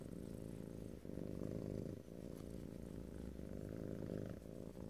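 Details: A pet cat purring intensely at close range, a thick low vibrating hum rolling through breath cycles about once a second, nothing else heard.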